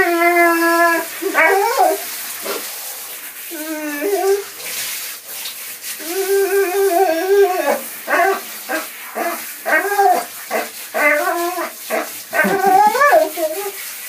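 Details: Singing dog mixing long steady howled tones with choppy, yip-like broken notes that come in quick bursts, the voice wobbling in pitch, over a faint hiss.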